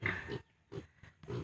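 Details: Piglets 32 days old, separated from their sow on a farm, giving short, rough grunts in three bursts about half a second apart against a quiet background.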